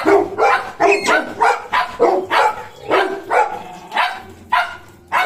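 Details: Golden Retriever puppy Cornell, shadow of German Shepherd Bozo: about nine loud, bright barks spaced roughly half a second apart, slightly uneven in rhythm, ending after a short pause.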